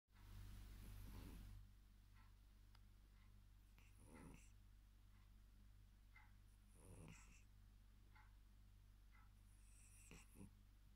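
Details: A tired male Maine Coon cat snores softly, with low breathy rasps every three seconds or so.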